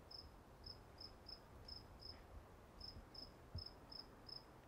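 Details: Crickets at Walden Pond, a short high chirp repeated about every half second in a steady rhythm, with a low rumble of background noise beneath.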